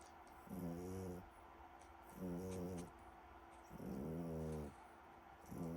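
A French Bulldog snores in deep, rumbling, harmonic bursts, each lasting about a second.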